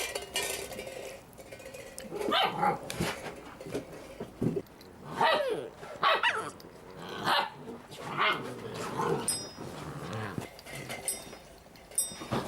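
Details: Litter of puppies making noise: scattered high whines, yelps and squeaky cries from several pups, overlapping and irregular, over steady background hiss.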